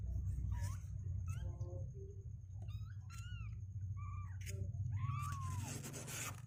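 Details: Two-week-old kittens, legs growing stronger and unwilling to stay in their box, give several short rising-falling mews, high and thin, scattered across a few seconds over a steady low indoor hum.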